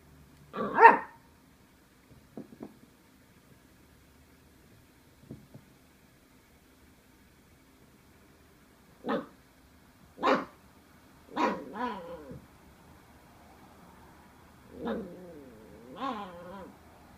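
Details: Welsh Terrier pup intimidated by a cardboard box: a single sharp bark, then faint soft yips and a long pause, followed by a series of short, uneven barks and whiny yelps spaced one to two seconds apart.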